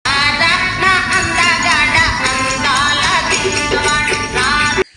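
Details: Lively music with jingling bells and tambourine-like shaking plays throughout, then cuts off abruptly near the end; no animal sound is heard.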